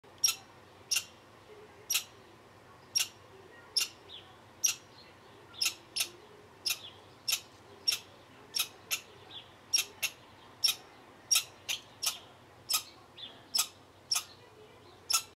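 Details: American red squirrel hanging out in Bozeman, Montana, giving sharp, dry, clicking chips repeated about two dozen times at a steady pace of roughly one every half second, with a quiet background.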